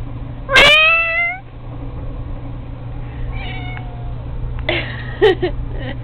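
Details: Cat at play with a fishing pole gives one loud rising-falling meow, then fainter shorter meows, while a person urges it to let go; steady low hum underneath.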